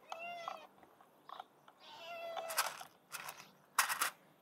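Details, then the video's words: Hungry street cat being fed, giving two drawn-out harmonic meows, the first steady and the second rising then leveling, followed by sharp rustling and clattering bursts of handling noise. "Feeding A Very Hungry Cat!"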